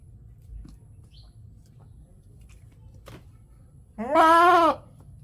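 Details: Goat in a village at Natore, Bangladesh, giving one loud wavering bleat lasting under a second near the end, after a quiet stretch with faint background noise.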